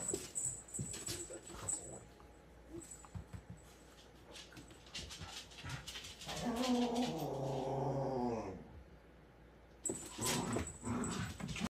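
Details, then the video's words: Scottish Terrier heard in the background while a cat attacks, with snow mentioned: a drawn-out, wavering talking vocalization with stacked harmonics lasting about two seconds, amid thumps, rustling and scuffling noises before and after. "You can hear his Scottie brother talking in the background"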